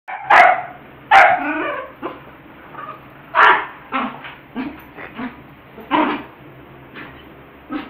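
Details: Pet dog playing with a ball and acting silly, giving sharp barks: two loud ones near the start, then a string of shorter, softer yips and barks at irregular intervals, with a steady low hum underneath.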